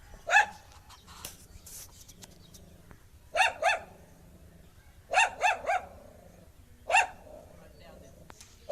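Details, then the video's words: An angry dog gives short bursts of two or three loud, harsh barks separated by pauses of a second or more, over a faint background hiss and some brief noises. "Angry Dog Barking Sound"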